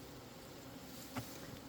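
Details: Honey bees in a captured swarm hive, opened by beekeepers about two weeks after capture to check the honey they made: a steady low droning hum with a faint overtone, broken by one short sharp click midway.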